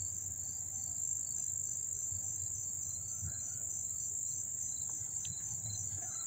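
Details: Up-close crickets in Dobbs Ferry, New York, August 1, 2014, singing a constant high, ringing trill with regularly repeated softer chirps beneath, a few faint short chirps from another insect or bird, and low rumble.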